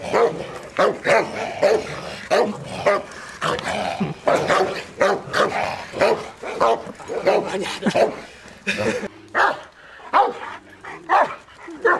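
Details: A Cane Corso barks in deep, loud bursts, several per second, during bite-sleeve work, seeing and biting an arm sleeve for the first time, with a man talking in between.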